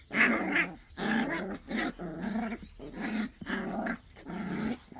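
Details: Snarling growls from Pungsan dog puppies settling rank. Gritty, rasping bursts of about half a second to a second repeat with brief gaps, and some higher, sharper edges.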